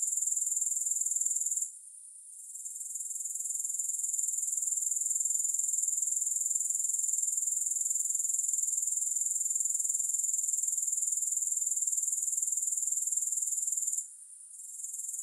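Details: Shrill, steady grasshopper trill with no music, a thin high buzz that briefly fades near two seconds, returns gradually, and dips once more near fourteen seconds.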